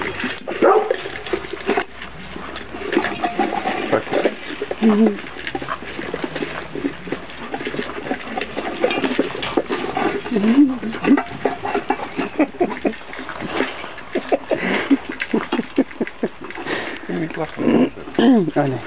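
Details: A litter of Kuvasz pups tries dry food for the first time: scattered thin, bending whines and squeaks over constant chewing, crunching and bowl rattle, with faint human voices at times.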